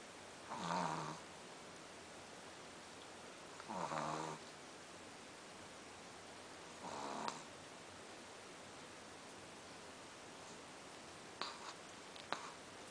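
A Pekingese snores in slow, raspy breaths about every three seconds, each rumbling snore fading out.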